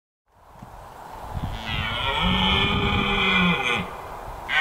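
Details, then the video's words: Male red deer stag roaring in rutting season: after a rising build-up of noise, a long, loud, harmonic roar holds steady for about two seconds, then another roar begins at the end. "The roaring stag"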